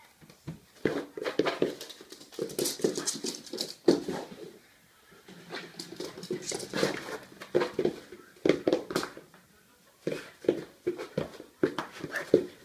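A miniature pinscher makes short, choppy grunts and whines in quick bursts, indoors.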